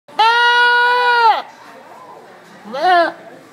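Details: Goat at a county fair in Rhode Island screaming like a human: a loud, steady, strongly harmonic scream held over a second, then after a pause a shorter wavering cry, with crowd murmur beneath.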